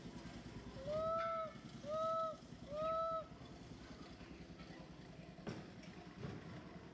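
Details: Little monkey MoMo in a park, calling for its mother Malika: three clear, drawn-out tonal calls, each about half a second, steady in pitch and evenly spaced about a second apart, followed by quiet with a low background rumble.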